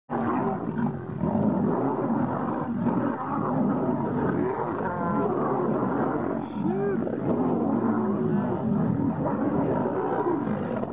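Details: Lions fighting, giving continuous deep, rough growling roars and snarls that overlap through the whole stretch, with a brief higher yowl near the middle.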